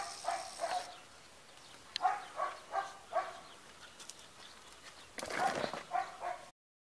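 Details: A chocolate Labrador Retriever gives a series of short, fairly high yelping barks, some in quick pairs.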